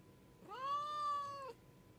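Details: Pet domestic cat giving one drawn-out meow lasting about a second, smooth and tonal with a gently arched pitch that rises at the start, holds steady, then drops slightly at the end; quiet background otherwise.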